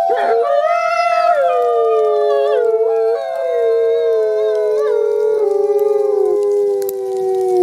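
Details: Sibling gray wolves at a wolf conservation center howling in unison: two sustained overlapping voices that rise at the start, hold, then slowly slide lower with small pitch breaks. The sound is clean and continuous with no background noise.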